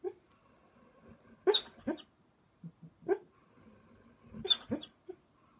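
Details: Ruby, a German Shepherd, noisy while dreaming asleep: two short bursts of stifled barks and whimpers about three seconds apart, with faint soft huffs and breathing in the pauses.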